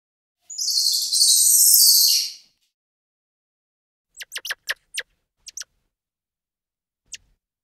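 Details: Squirrel monkey opening with one loud, drawn-out, piercing high peep lasting about two seconds, then after a pause a scatter of quick, thin chirps in short clusters; otherwise silent.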